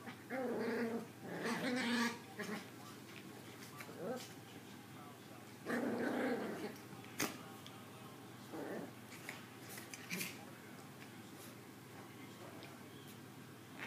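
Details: Two small female Maltese puppies playing give short, tonal whining yelps mixed with soft growly grumbles in scattered bursts.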